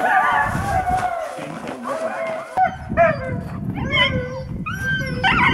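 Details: Alaskan Malamutes, older dogs taken out skiing in snow, giving wavering, pitched howls and yelping whines in several broken bursts, with low rumbling noise and handling sounds beneath.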